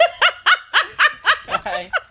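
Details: A two-year-old Jack Russell Terrier playing with a cardboard box, yapping in short, sharp, high barks roughly every quarter second, eight in a row with a brief whinier note near the end.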